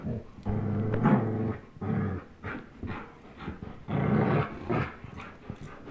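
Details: Two young dogs, Chase the 10.5-month-old German Shepherd and Blizzard the year-old Old English Sheepdog, growl while tugging a toy; deep rumbling growls come in several pulses about a second long, separated by brief pauses.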